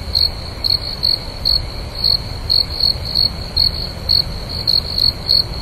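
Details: A cricket chirps steadily at night, short high pulses repeated about twice a second.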